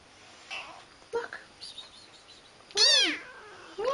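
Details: Pet cat indoors, a female addressed as pretty girl, gives one loud harmonic meow that rises and falls, preceded by softer short sounds, with a woman talking to her in gentle baby talk before and after.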